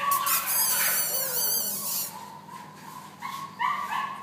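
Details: Labrador Retriever giving high, wavering whines that sweep up and down over the first two seconds, followed by a few short, sharper yips.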